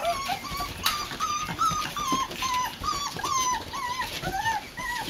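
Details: Four-week-old Boxer puppies from a litter, spending their first time in a new daycare pen on a front porch, give high thin whimpers that bend up and down, one after another, with light scuffling and clicks behind.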